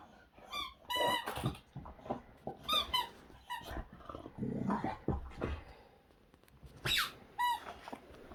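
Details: Boxer dog named Zeta in a mad few minutes of energetic play with a squeaky toy, 2021; sharp harmonic toy squeaks come in bursts, mixed with chewing noises and short low growly sounds from the dog.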